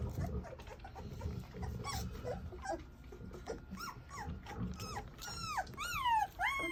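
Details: English Mastiff puppies whimpering and yelping together, thin whines that slide steeply downward, overlapping in a continuous chorus that grows louder and more piercing toward the end, over low rustling.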